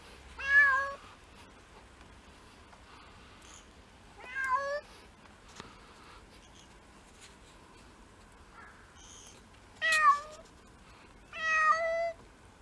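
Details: House cats in a six-cat home in Japan in February, on a day of first snow: four clear, drawn-out meows with rising then falling pitch, spaced a few seconds apart, over faint indoor background.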